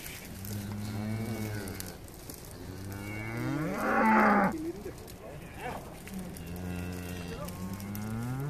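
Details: Hereford cows and calves arriving on Skarø island in April to summer graze, eleven animals brought by boat from Tåsinge: repeated deep harmonic moos, one louder rising bellow midway, several overlapping callers.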